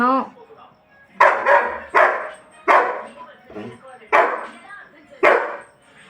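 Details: A German Shepherd, upset that the mother went out and demanding to be taken along, gives sharp, loud barks roughly every second. An owner's voice and faint music sound in the room between the barks.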